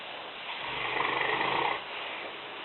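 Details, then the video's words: A single drawn-out, grating snore, a little over a second long, from Lena, a sleeping five-year-old female Newfoundland of 150 pounds lying in a kitchen. The room is otherwise quiet. "Lena (Neufundländerin) schnarchend - Lena snoring"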